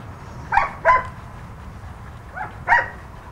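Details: Red and white female husky, two years old, at a rescue in Los Angeles with volunteers, giving four short yelping barks in two pairs, each a quick rough burst, over low background hum.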